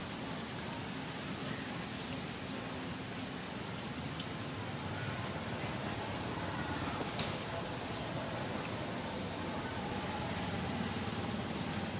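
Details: Dense, even broadband rushing noise like passing traffic fills the whole stretch, with no monkey calls or cries standing out.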